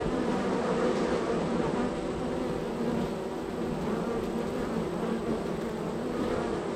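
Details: Honey bees at hive number three in a row of hives, extremely active, coming and going at the entrance; a steady, dense droning hum of many wings, low and even throughout.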